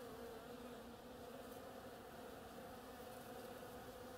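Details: Bees working the flowers of an oriental creeper, a steady, even buzzing drone with no breaks and no other clear sounds.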